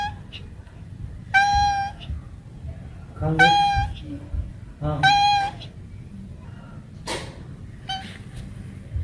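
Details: Domestic cats and kittens meowing: three loud, drawn-out, harmonic-rich meows about two seconds apart, each holding steady then dipping at the end, followed by fainter short mews and a low background rumble.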